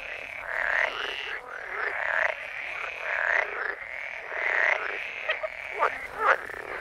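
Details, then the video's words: Frogs croaking in a steady chorus: rough, pulsed croaks rising and falling roughly once a second, several callers overlapping, with a few sharper, brighter notes near the end. "Sound of Frogs Croaking"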